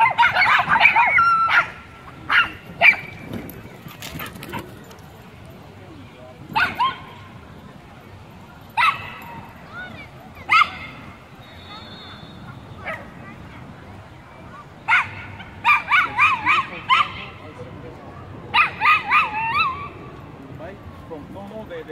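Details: Several Chihuahuas defending their turf against a Pit Bull and a German Shepherd: sharp, high yapping barks in short bursts separated by pauses, with scattered single yips and faint background noise.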